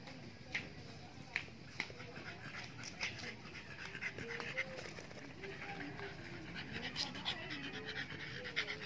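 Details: Exotic American Bully named Ignite, eight and a half months old, panting in quick breathy bursts that spread across the upper range, with a person talking quietly underneath.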